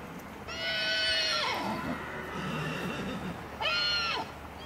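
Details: Colt foal sired by Livello, from a Carlos DZ–Acorado dam: a long, shrill, falling whinny, then a shorter one about three seconds later, with soft low murmurs in between.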